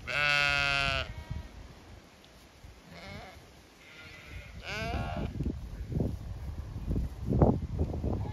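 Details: Zwartbles flock in County Kilkenny, Ireland, expecting fresh pasture; one loud, wavering bleat opens, followed by fainter distant bleats and a mid-length call, then scattered low knocks and rustling.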